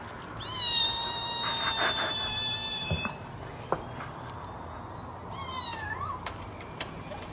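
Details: Domestic cat giving two drawn-out meows: the first is long and steady, lasting over two seconds. A shorter one follows and ends with a small upward twist. Faint clicks and room noise sit underneath.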